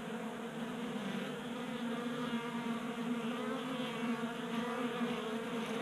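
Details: Honey bees feeding at a 3D printed table-top feeder in a garage during a warm January spell in Colorado, with steady many-layered buzzing from several bees, humming bands stacked from low to high pitch throughout.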